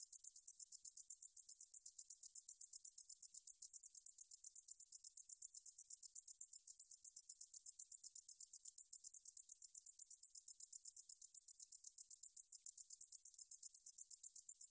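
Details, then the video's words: Continuous high-pitched katydid (등줄어리쌕쌔기) stridulation, recorded by the National Institute of Biological Resources in 2020, made of fast, evenly spaced buzzy pulses, about four per second, held without pause over fifteen seconds in a quiet background. "등줄어리쌕쌔기, 여러번 듣기, 곤충소리"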